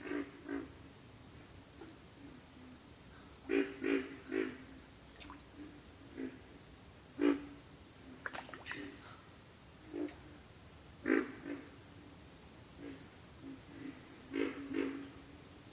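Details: Pig frogs grunting: short, low, pig-like grunts in loose bursts of two to four, uneven through the clip, some louder and some distant, over a steady high insect whine.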